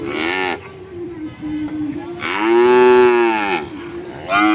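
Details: Cows at a village market mooing, five together: a short moo, a softer sustained tone, then a loud arched moo swelling and fading over about a second and a half, another starting at the end.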